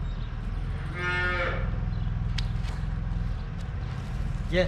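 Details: Cattle on a friend's farm, cows that have just given birth, with calves nearby; a deep, sustained lowing drones through the whole stretch, a brief higher cry near the end, with faint voices in the background.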